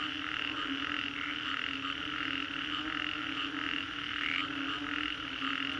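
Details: Frogs calling after a storm in the Green Corridor, Singapore: a dense, continuous chorus of pulsing croaks layered in steady bands, with a brighter rasping layer throughout and no pauses across the recording.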